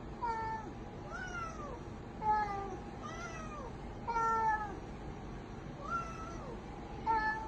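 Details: Pet cat meowing repeatedly, drawn-out rising-then-falling meows roughly every second or two, over a steady hum and indoor background noise.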